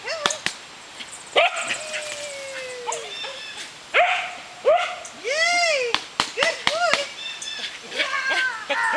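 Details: Frisbee game with Pyrenean Shepherds Cookie, a brindle six-month-old female keen on retrieving discs, and her fawn sire Gabizos: a long sliding whine, then scattered arched barks and yips between sharp clicks and thuds.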